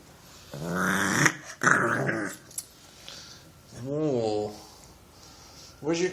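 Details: A playful bulldog puppy makes rough, gravelly growls and a short wavering whine, noises likened to a little gremlin's, while a person talks nearby, telling it "no biting" and offering it a stick.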